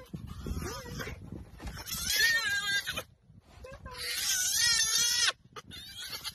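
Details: Baby hyena crying: drawn-out, wavering wails with rich overtones, two long nasal cries rising then sagging in pitch, separated by short breaths and pauses, with faint rustling underneath.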